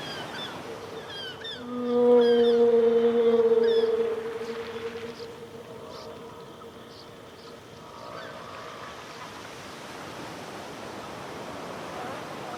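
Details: Killer whale (Orcinus orca), call.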